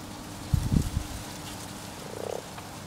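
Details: A common frog in a pond at spawning time: a few loud low knocks and splashes at first, then one brief, rapidly pulsed purring croak.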